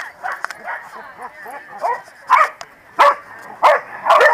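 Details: A corgi gang at the New Jersey Corgi Funday Sunday 2017. Talking and soft dog noises come first, then four loud, harsh barks spaced about half a second apart.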